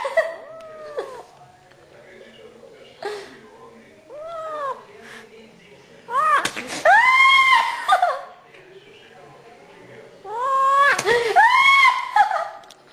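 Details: Indoor cat: short arched meows at first, then two bursts of loud, strained, arching yowls repeated several times in quick succession, with quieter gaps and faint thumps between.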